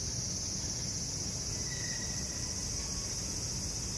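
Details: Several lively cicadas calling in summer amid city sounds: a steady, dense high-pitched shrill drone without a break, with a low traffic-like rumble underneath.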